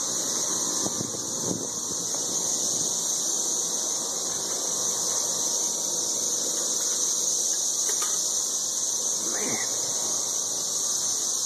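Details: 13-year periodical cicadas in Nashville, Tennessee, screaming from the treetops while mating, with many empty shells lying about. The high, unbroken buzzing hiss fills the air. Scattered clicks and a short squeak are heard around eight to ten seconds.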